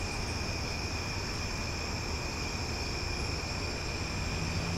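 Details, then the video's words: Loud cicadas at night in Omaha, a steady unbroken drone of several high whining bands layered together, with no pauses, over a low rumbling background hum. "Cicada Sounds for Sleep"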